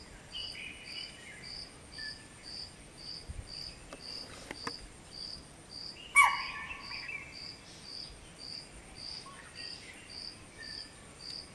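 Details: At around 5:30 am near a lake, a chital that spotted a person on a machaan gives one sharp, shrill alarm bark to warn its family, over the steady pulsing trill of crickets.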